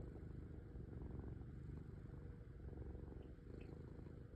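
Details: Domestic cat purring, a continuous low rumbling purr with a fine pulsing texture that runs steadily through the whole stretch, with no other clear sounds.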